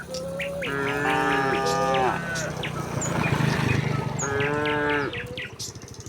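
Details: Tame village cattle trotting down the hill to their pen: a sustained moo opens, followed after a noisy gap of movement by a second, slightly shorter bellow, while small birds chirp faintly.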